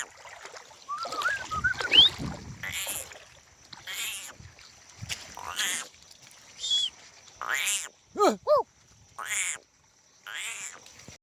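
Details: Sheep in a village with goats also present, a series of wavering, nasal bleats spaced about a second apart, with rustling and background noise between calls.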